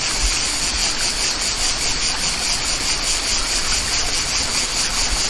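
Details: Cicadas singing in the countryside beside a waterfall: a dense, steady high-pitched buzzing with a fast shimmering pulse, layered over the constant rush and hiss of running water.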